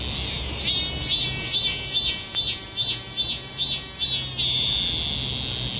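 A cicada sings in harsh, buzzy pulses about twice a second, then slides into one continuous drone.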